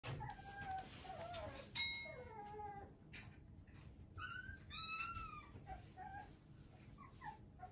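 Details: Female Shiba Inu puppy, sired by a JKC champion, giving high whimpering whines that slide downward and upward in short tonal strokes, some clustered in quick pairs, over a faint steady hiss.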